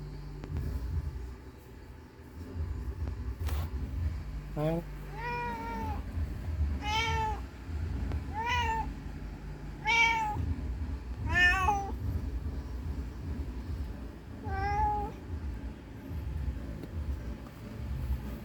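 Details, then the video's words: Calling for her lost kitten, a mother cat repeats short, rising-falling meows roughly every one to two seconds, about seven in a row, with a low rumbling hum underneath. "Suara Kucing Mencari Anaknya Yang Hilang"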